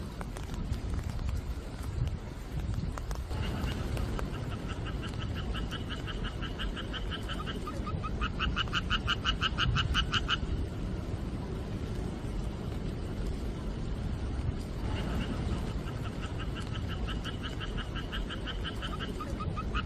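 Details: A frog gives long, rapidly pulsed, rattling trills over the steady hiss of falling rain, at night during the monsoon rainy season, July 2023.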